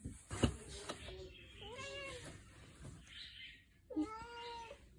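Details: Domestic cat indoors meowing because it wants to go outside: two drawn-out, harmonic meows, the first rising then falling, the second steadier, with a person speaking softly and some thumps and rustles between them.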